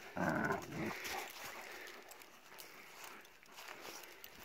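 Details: Kangal dog during chest-bump training sessions, playing roughly with a sibling: one harsh, growling bark lasting about half a second, followed by steady outdoor hiss with faint distant voices.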